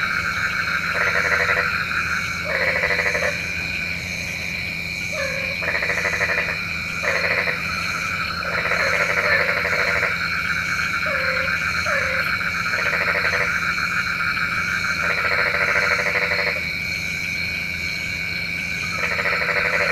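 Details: Night chorus of frogs, whose croaking is said to summon rain: blocky, buzzy croaks in bursts of one to two seconds, repeating unevenly over a constant shrill background hum.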